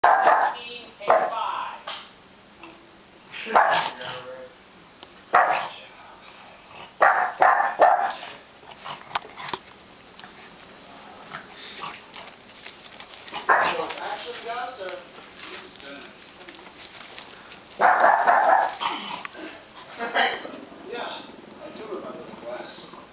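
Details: Holly, a pet dog, barks at graduation balloons she is afraid of, giving short loud bursts of barking in clusters separated by pauses, with people talking in the background.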